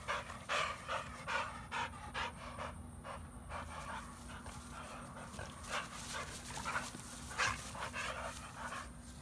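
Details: Panting from Pitbull and American Bully dogs Beats and Maxx: rapid, rhythmic breathy puffs, roughly two or three per second, continuing throughout with uneven strength, against a low constant hum.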